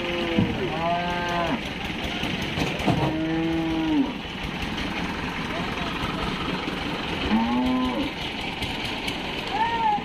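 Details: Cattle unloaded from a truck at Paragram cattle market in 2021, several drawn-out moos with rising then falling tone at roughly three-second intervals, amid constant crowd murmur and vehicle noise.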